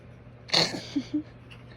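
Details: Shih Tzu. A small dog lets out a sudden, hissy snort like a sneeze. Two brief, low, nasal grunts follow about a fifth of a second apart, over a faint steady hum indoors.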